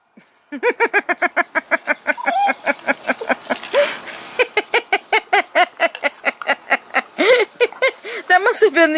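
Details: Pocket Beagle signalling that it is his turn for the kibble bowl, giving a rapid series of rhythmic yelping, baying notes, several per second, continuing through most of the stretch with brief pauses.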